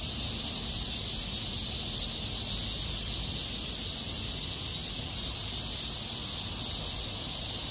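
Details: A steady, hissing wall of cicada song fills Miraesarang Park in August 2021, a continuous high whine without pauses, over a faint low background hum.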